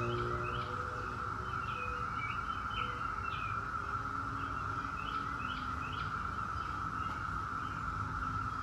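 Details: 17-year periodical cicadas of Brood X in a steady, unbroken droning whine held at one pitch throughout, with birds chirping short rising notes above it and a low rumble beneath.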